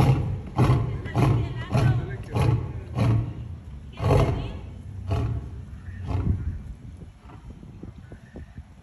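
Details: African lion. A lion's roar bout: deep, rumbling grunts repeated roughly every half second at first, then spacing out and weakening. The closing grunts sink into a low background rumble.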